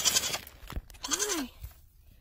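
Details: Baby goat named Maddy, lost after a move to a ranch in 2019 and found with a Doritos bag on his head, gives a short wavering bleat that rises then falls, amid rustling, a thump and a woman's voice.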